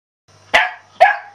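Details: Shetland Sheepdog named Celtyr, a male Sheltie, giving two sharp, bright barks about half a second apart, each ringing briefly before fading into quiet.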